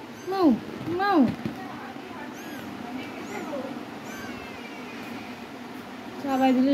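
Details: A cat meows twice in quick succession, with arched, falling cries. Softer murmurs and a human voice follow, then a final drawn-out, steadier meow closes the passage.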